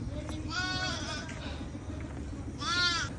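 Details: A goat bought for an aqiqah gives two quavering, harmonic bleats, one short and wavering, then a second near the end, over a steady low rumble of background noise.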